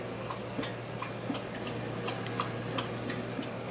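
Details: Irregular soft ticks and clicks over a steady low electrical hum indoors, with no animal voice.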